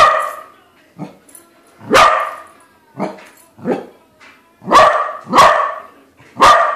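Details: Meeting a balloon corgi, the pet corgi barks repeatedly, mixing softer short yips with loud sharp barks, closing with a quick run of three strong barks.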